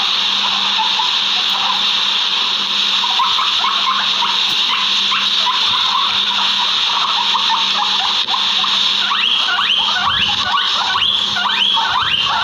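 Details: Backyard guinea pigs giving a run of short upswept squeals that grow louder and sharper through the second half, set against constant high-pitched background hiss and a faint hum.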